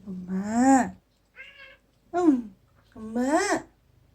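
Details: Aegi, a once-feral kitten rescued in summer 2018 from a litter of four wild cats and raised indoors, meowing to its owner in a sound said to resemble "eomma" (mom). Three clear, drawn-out rising-then-falling meows, with a faint short one between, in a quiet room.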